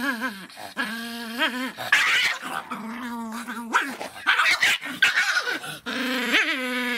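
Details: Miniature Pinscher named Faisca, an angry little dog, giving drawn-out, harmonic growling barks with wavering pitch, broken by short harsher yaps, indoors.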